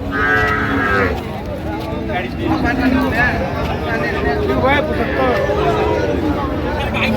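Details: Cattle at a livestock market in Amabari, Dinajpur, Bangladesh, where cows with calves are sold: low drawn-out moos sound amid a constant crowd murmur, with men talking and haggling over prices nearby.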